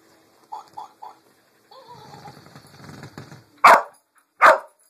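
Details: Lucy the dog barks at a Pink Pig Bumble Ball; three soft yips open, a whine-like rising tone and the toy's buzzing follow, then two loud harsh barks close the clip.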